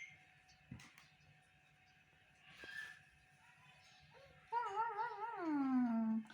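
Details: Young male baby monkey making sweet sounds to get his mother to comfort and hug him: after quiet indoor background, a wavering tonal cry breaks into a long, drawn-out wail that slides steadily downward.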